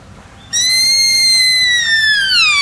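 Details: Sika stag calling in autumn on Mount Wakakusa, Nara Park: a single loud, pure whistled cry, long and steady, then sliding downward toward the end, with rich overtones, preceded by quiet background.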